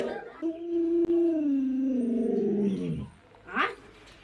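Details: Luoluo, a pet Alaskan Malamute that helps look after its young owner, gives a long, wavering, slowly falling howl lasting about three seconds. A short higher yelp follows, with human speech in the background.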